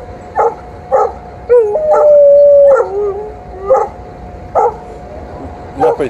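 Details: An in-heat female Alaskan Malamute, annoyed at a male Golden Retriever's advances on a morning walk, gives evenly spaced barks around one long, high, level howl that bends downward at its end.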